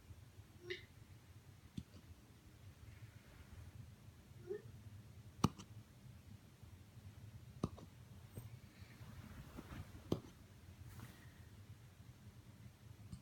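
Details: Corgi with hiccups indoors: short sharp clicking jerks that stand out about every two to three seconds, with quieter faint sounds and low room hum between them.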